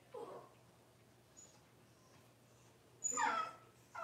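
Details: Cavalier King Charles Spaniel puppies, six weeks old, during deworming and toenail trimming indoors; a short whimper opens, then a long quiet gap before a loud, high, quavering whine and a final rising squeak, over a faint hum.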